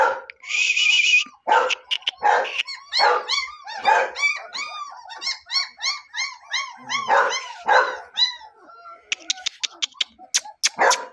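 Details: Puppy of the German Shepherd double coat type, Meerut litter of three males and one female, uttering rapid rising-falling squeaky yips in a long run, broken by rustling bursts, a brief hiss and sharp clicks.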